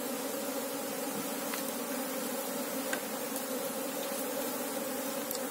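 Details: Buzzing mass of Asian honey bees (Apis cerana) during a search for the queen in their colony: an even, continuous droning hum in two stacked tones that never pauses, with a few faint ticks over it.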